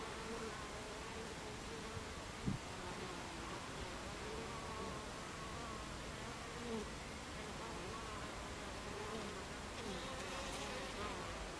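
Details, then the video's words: Buckfast honeybees at a beehive entrance, recorded 26 July 2013 at 14:30: a dense, droning hum of many overlapping wing buzzes with wavering low tones, steady throughout, broken by a brief click near two and a half seconds. "Beehive Entrance Buckfast Bees"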